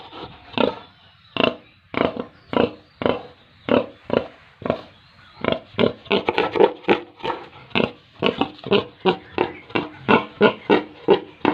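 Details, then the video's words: Rapid, rhythmic bursts of short grunts from pigs and piglets housed on a farm in Tripura, coming faster and denser toward the end. "Pigs & Piglets sounds"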